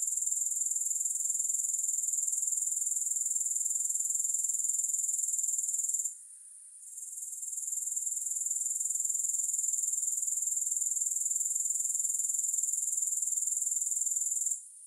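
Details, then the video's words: Grasshoppers keep up a dense, high-pitched rhythmic chirring with no music, pausing abruptly around the six-second mark, resuming within a second and climbing back to full strength, then stopping again at the very end. "3 Hours of Grass Hopper Sounds"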